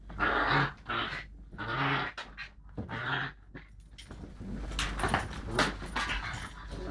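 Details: A Lakeland Terrier pup tussles playfully with a Lakeland x Patterdale dog, captured by mobile phone: three rough growling bursts about a second apart, then softer scuffles, panting and rustling.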